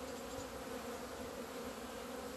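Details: Honey bees flying out into the sun on 17 February 2020, their first emergence after two months. A steady swarm hum holds low, even tones throughout with a faint hiss above.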